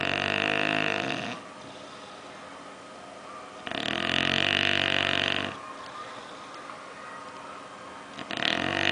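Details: Oliver, a bulldog, snores in his sleep while dreaming: long, gravelly, buzzing snores roughly every four seconds, each lasting one to two seconds, with soft pauses between.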